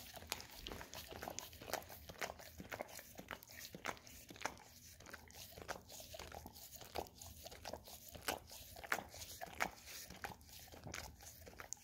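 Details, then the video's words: Golden Retriever licking peanut butter off an Orapup tongue-cleaning brush in a small room; steady crisp clicks and sticky smacking noises come several times per second without pause. "Dog Licking Orapup Tongue Cleaning Brush - Golden Retriever"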